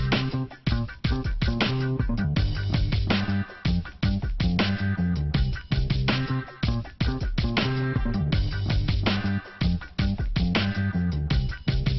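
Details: Loud, rhythmic band music with plucked guitar and a driving beat plays throughout, and no animal can be picked out.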